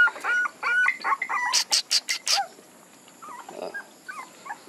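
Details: Puppies whimpering in short high, wavering cries, broken by a burst of rapid broadband scratchy noises midway, then quieter scattered whines toward the end.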